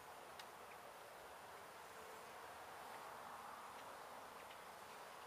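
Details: Honey bees from a gentle hive taken out of a window at a house in Edinburg, Texas: an even, low-level swarm hum fills the whole stretch, with a few faint clicks.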